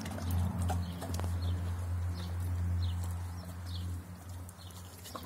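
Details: Armin, a Doberman pinscher, goes at his food with a low continuous rumbling growl for about four seconds before it fades, light chewing clicks scattered above it.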